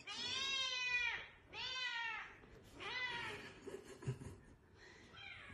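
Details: Cat in a compilation of funny, cute cat videos meowing three times in quick succession, each meow bright and harmonic, rising then dropping, about a second apart, followed by a fainter, shorter call and light background noise.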